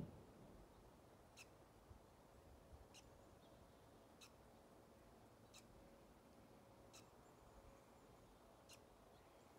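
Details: Squirrel chirping in a series of six thin, brief squeaks repeated about every one and a half seconds, fairly quiet against a soft steady hum.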